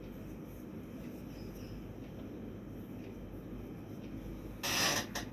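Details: Quiet indoor room hiss with a steady electrical hum, then a brief loud rustling burst near the end.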